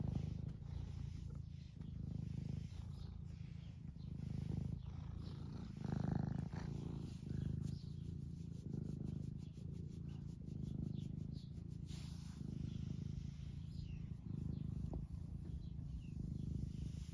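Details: Purring from Eric, an 11-year-old semi long-haired tabby cat in the UK who loves attention, lying on his owner while stroked; continuous deep rumble pulsing in long breath cycles, with faint rustling and brief clicks of movement.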